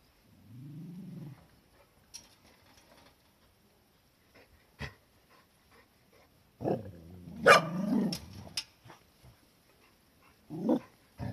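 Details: Cardigan Welsh Corgi, filmed 11 January 2021: a low, wavering growl at the start, then quiet with faint clicks, a louder burst of rough growling and barking midway, and one more short growl near the end.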